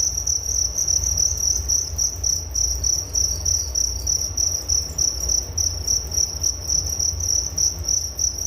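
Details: Cricket chorus as a sleep aid, a shrill rapid chirping in steady pulses that never stops, with a light low-frequency rumble behind it.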